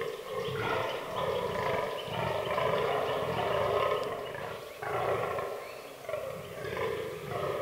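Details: Rutting fallow deer buck in an autumn forest; long, rough, drawn-out groaning roars lasting a few seconds each, broken by short pauses, with a quieter background of woodland ambience.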